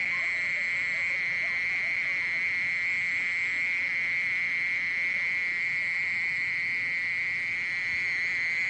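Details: Mole cricket singing a steady, unbroken high buzzing trill that holds one even pitch with faint overtones and never pauses, over a soft low rumble.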